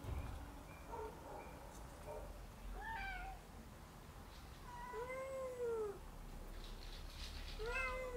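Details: Domestic cats active at night: faint short mews at first, then two long, clear meows that rise and fall in a smooth arch, with a third meow starting at the end. Light rustling sounds in the background.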